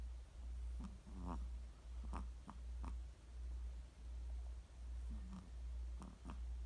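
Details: Snoring Chihuahua: a deep droning rumble rising and falling in regular breaths, about 80 a minute, broken by brief wheezy squeaks and soft clicks.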